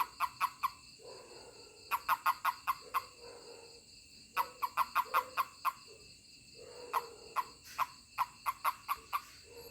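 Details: Toad calling when touched by a person: rapid trains of short, clucking chirps, about five to eight pulses each, repeated in four bursts separated by brief pauses, with a faint steady high hiss behind.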